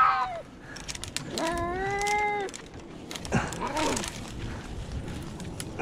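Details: Rescued cats meowing: a short falling cry opens, then a sustained, slightly wavering harmonic meow of about a second, followed by a brief rising-and-falling cry over faint background noise.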